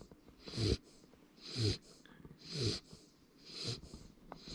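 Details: Sleeping Labrador Retriever puppy snoring indoors, each breath a soft rasping snore with a low rumble and airy hiss, repeating steadily about once a second in four even cycles.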